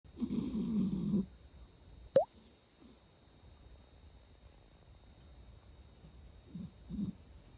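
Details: Sleeping cat snoring indoors: one low, rough, buzzing snore lasting about a second, then a sharp click and a couple of faint soft breaths in a quiet room.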